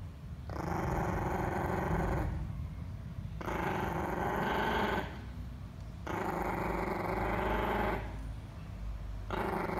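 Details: White Chihuahua guarding against intruder cockroaches beside cockroach bait. It produces low, rumbling growls in four extended bouts of nearly two seconds, with brief pauses between them, indoors.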